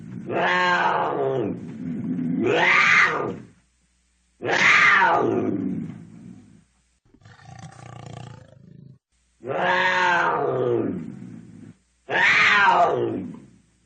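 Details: Cougar roaring in a series of five loud, harmonic, wailing calls, each rising then falling in pitch, with a quieter rough rumbling between the fourth and fifth call.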